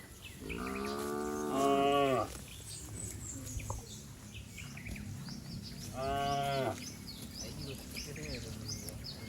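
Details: Cows and bulls bounding down a lush green hill in the countryside: two rich, slightly rising moos about four seconds apart, over a steady rural background with high bird twitters.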